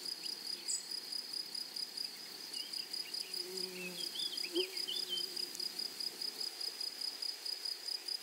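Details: Grasshoppers in a flowery meadow. A bright, steady high buzz is pulsed in quick regular beats, with a higher pulsed overtone. Faint bird chirps sit in the middle and a brief low murmur comes around four seconds.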